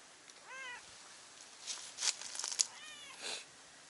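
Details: On a Japanese cat island, a stray cat up on a cliff calls to a cat beneath it; two short arched meows about two seconds apart, with scraping and rustling noises between them.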